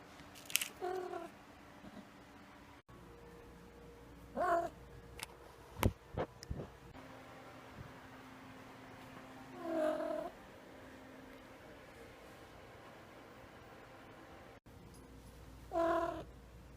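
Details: Indoors, a pet male cat makes funny noises after being woken: four short harmonic meows spaced across the recording, mixed with several sharp clicks and knocks near the middle, over a faint background hum.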